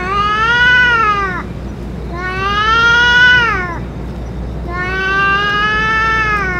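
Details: Stray cats, including a dominant boss cat, heard after eating food and medicine: three long drawn-out meows, each rising then falling in a rich harmonic wail, spaced about two seconds apart, with low background rumble.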